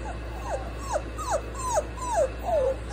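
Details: Dogs, a Cane Corso and a French Bulldog lying together in a 'sandwich', with high whimpering whines: six short falling tones, each sliding downward, repeated roughly every half second, over a steady low indoor hum.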